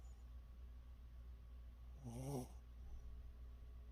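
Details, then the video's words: Pet dog snoring indoors: one soft, low, rumbling breath near the middle with a brief breathy hiss, otherwise a quiet steady hum. "강아지 코골이"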